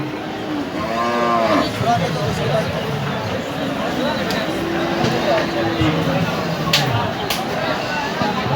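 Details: Cattle at the Hazratpur cattle market, among big bulls, give low, drawn-out moos with rich harmonics, one near the start and a longer one midway, while a man talks in Bengali about a handsome black cow and music plays.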